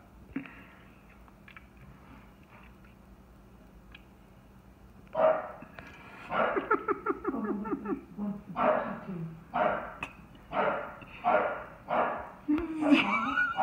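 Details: A chocolate tri merle English Bulldog going crazy barking at a bucket after knocking it over with other dogs; quiet start with a man talking, then loud, hoarse, rapid barks and growly yelps in bursts about every second.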